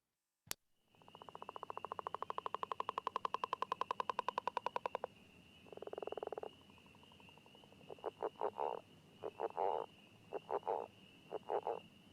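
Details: Northern leopard frog, in Chicago-region grassland, wet meadow or marsh edge, gives its territorial call underwater: a long snoring rattle, like a finger rubbed on a dry balloon, then short gruff chuckling clucks that can sound like a wood frog.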